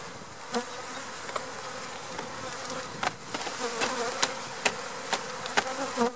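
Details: An April 2017 honey bee swarm being installed into a hive gives a low, steady buzz beneath sharp knocks and clatter as the bees are knocked down.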